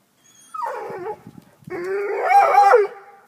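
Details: Black and Tan Coonhound, up in a tree after chasing a cat, gives two drawn-out baying howls: a short wavering cry falling in pitch, then a longer, louder one that holds and bends before dropping away.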